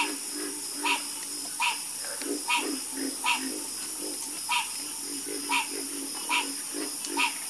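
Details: Frog chorus with clear, regular croaks, each a short bright note repeated about every three-quarters of a second, over quieter lower croaking and an unbroken high hiss.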